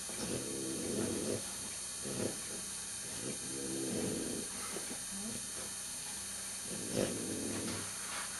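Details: Two-day-old male French Bulldog puppy, set aside by the breeder beside his mother and siblings under a heating light, making soft low grunting, snuffling noises in short bursts roughly every second or two against a steady faint background hiss.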